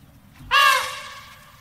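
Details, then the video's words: Elephant letting out one sudden, brassy trumpet that starts loud, slides slightly downward in pitch and trails off over about a second against quiet low-pitched background noise. "TIẾNG VOI RỐNG ĐÁNG YÊU"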